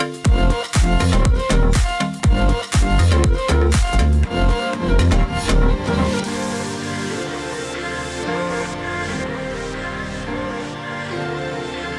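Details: Electronic dance music with a steady beat of about two pulses per second, heavy bass and bright synth layers; the drums drop out after six seconds, leaving sustained chords. No animal is heard.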